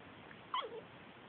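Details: Seven-week-old Tibetan Mastiff puppies playing outside at a Do khyi kennel in the Netherlands; a single brief yelp breaks out, sliding quickly downward, over a steady background hiss.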